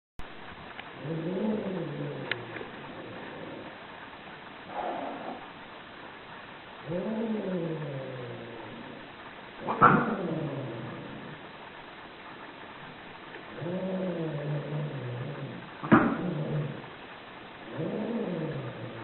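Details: Angry cats yowling: low, wavering drawn-out growl-yowls about two seconds long, repeated several times with short pauses, broken by sharp hissing spits.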